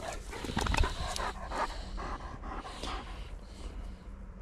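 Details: German pointer dog out duck hunting, panting in quick breathy bursts against an outdoor background, with a louder stretch early on.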